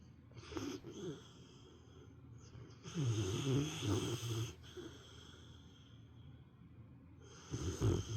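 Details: Napping female pet dog snoring loudly like an old man, three rough low snore bursts roughly every three to four seconds, the middle one longest, soft breathing in the pauses.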